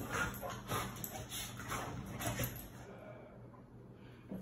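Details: Two Labrador Retrievers, Sadie and 8-month-old Cedar (Schroeder), playing together in New Mexico: a run of short, rough, noisy growl-like bursts that fade after about three seconds, over a steady low electrical hum.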